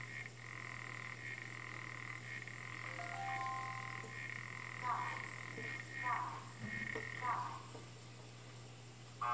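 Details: African clawed frog calling, bursts of rapid buzzy, metallic trilling at mid pitch lasting a second or more, with a few short tonal whistles and sharp knocks between them, over a constant low electrical-sounding hum.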